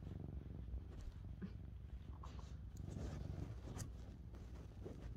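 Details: Mićo, a male lynx point Siamese cat, purrs very loudly while being brushed indoors; a steady low rumbling throb runs throughout, overlaid by soft scratchy brushing strokes and faint rustles.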